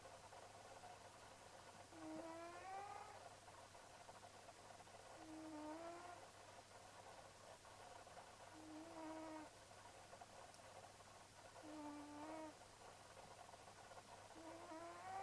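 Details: Leonardo, a pet cat, sleeping and snoring: whistly, nasal snores with a rising squeak, repeated roughly every three seconds over a steady low hum.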